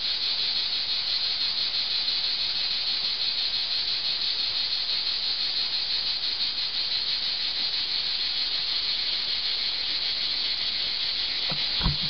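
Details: Summer chorus of many cicadas under an old olive tree at Archangelos on Rhodes, Greece, a continuous shrill hissing drone without pauses, with a faint tap near the end.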